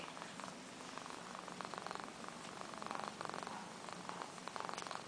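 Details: Adopted shelter cat, a female Domestic Medium Hair, purring indoors at an SPCA adoption centre in Georgia; a steady, rapid rumbling pulse runs throughout, with a faint human voice at the start.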